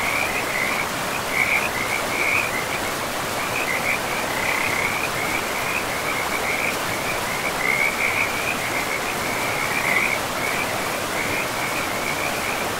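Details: Near a river in a pristine forest of moss-covered land, frogs call in repeated bursts of rapid trilling notes at a steady pitch, gapped every few seconds, over a constant broad hiss of flowing water.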